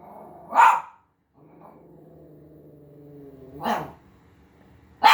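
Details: Havanese dog reacting to seeing himself on TV, giving three abrupt, loud barks several seconds apart, separated by a low, steady, harmonic hum or faint growl-like drone.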